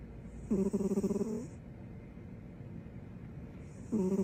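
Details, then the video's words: Sleeping female dog snoring with her tongue out: a long fluttering, rattling snore of about one second, then a quiet pause before the next snore begins. "Snoring with her tongue out"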